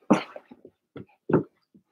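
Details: Blenheim Cavalier King Charles Spaniel puppies from Remy's litter of six in an indoor puppy pen: two loud short yips about a second apart, separated by softer whimpering and snuffling sounds.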